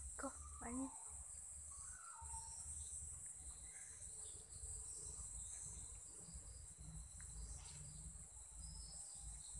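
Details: At about 7 pm in Sri Lanka, insects give a steady, very high-pitched chirping drone that runs without a break over low rumbling background noise.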